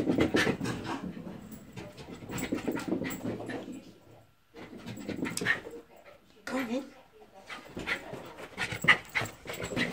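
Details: Excited Jack Russell Terrier and Border Terrier cross chasing its tail and racing around indoors on a visit to a relative's house; quick breathy panting bursts in uneven runs, pausing near four seconds, with a person's voice speaking over it.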